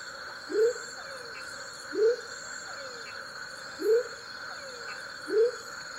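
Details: In Tayrona National Natural Park a male smoky jungle frog (Leptodactylus savagei) repeats a short, swelling upslurred whoop four times, roughly every 1.5 seconds, against a steady drone of insects and faint falling whistles.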